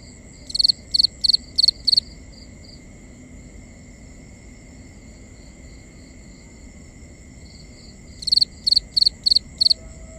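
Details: Nighttime crickets in binaural forest ambience: two groups of five sharp high chirps, each pulse triple-stuttered, separated by about six seconds of quieter background chirping, steady high tones and soft low rumble.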